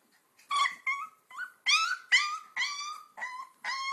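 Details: Two-week-old Alaskan Malamute puppies, a litter named Sansa, Sorpresa, Spartacus and Swagger, on their first walks. About eight drawn-out nasal whines follow one another steadily, each bright and slightly falling, sounding insistent and plaintive.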